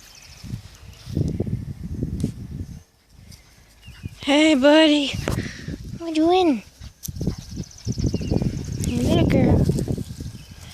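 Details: Five-week-old German Shepherd puppies playing outside give high, arching whines and yelps in short bursts near the middle of the recording, with rustling, footsteps and people's voices around them.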